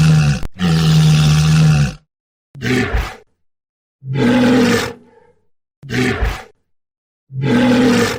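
A walrus gives deep, hoarse bellows, each lasting a second or two, with short silent gaps between.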